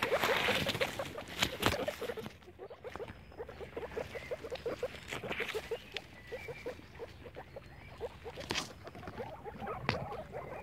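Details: Several guinea pigs playing outdoors in the grass keep up a fast patter of short, low chuts, while bursts of rustling and crackling from movement through the vegetation break in repeatedly.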